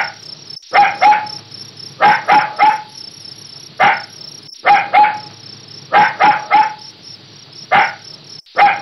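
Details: Repeated puppy barks in little volleys of one to three sharp yaps every second or so, roughly fifteen barks, set against a constant shrill background buzz.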